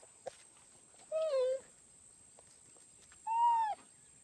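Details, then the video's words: Two clean chirps from a cheetah about two seconds apart, the first dipping slightly and the second an arched, slightly higher note, over a quiet background. "CHEETAH SOUND EFFECT 치타 울음소리"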